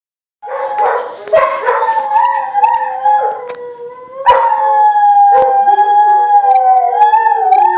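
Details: Two pet dogs howling together in reaction to a talking caller ID: long, wavering harmonic howls that slide and overlap, with sharp clicks and brief bark-like onsets, growing steadier and sustained in the second half.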